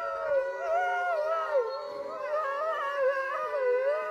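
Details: Zoo gray wolves in Neuruppin, Germany, give long, wavering howls that rise and fall steadily, with several voices overlapping; recorded July 28, 2022. A visiting dog tries to reply to them.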